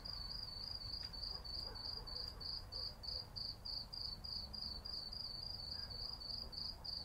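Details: Cicadas at night in a city in summer: a high, thin pulsing note repeated about three times per second, steady and even, over a low background rumble of city noise.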